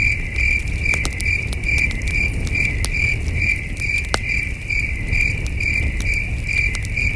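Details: Night crickets at a peaceful camping site sing a continuous series of high, evenly pulsed chirps, roughly two per second. Campfire snaps and crackles break in irregularly over a soft, deep background hum.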